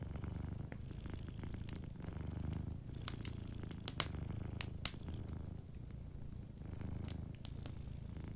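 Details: Soft purring of a cat sleeping near an open fire: an even low rumble in breath-paced waves, with bursts of crackling and popping from the burning wood.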